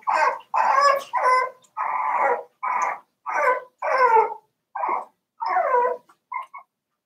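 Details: A four-week-old Cavalier King Charles Spaniel puppy from Daisy's litter cries loudly in the pen, a rapid run of about ten harmonic yelping whines, some rising and falling, ending with two short squeaks.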